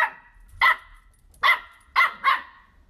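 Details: Playful Dachshund (sausage dog) puppies give four sharp, bright barks: a single bark, a pause, then three quick barks in close succession, with near silence between them.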